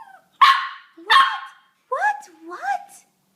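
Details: Talking puppy giving two sharp, harsh barks followed by two rising-and-falling whining yowls, all in quick succession within about three seconds.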